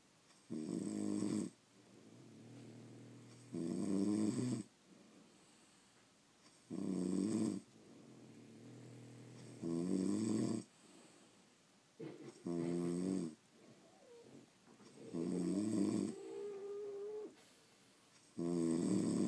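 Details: Snoring from sleeping French Bulldogs, seven coarse, vibrating snores at a regular pace of about one every three seconds, separated by faint nasal breathing and a brief whistle-like tone.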